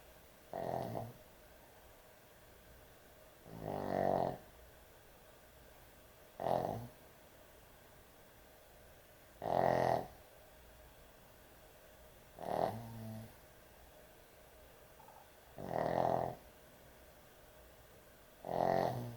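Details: Heavy snoring from a sleeping dog at bedtime indoors: seven coarse, buzzing snores, each under a second long, repeat about every three seconds in a steady rhythm against a faint, still background.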